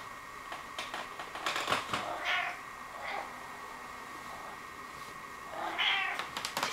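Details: Jerry, a 16-year-old male pet cat, indoors in a front hall, obsessed with dirty shoes; short high meows and chirps around two seconds and again near six seconds, over a steady household hum with a person talking.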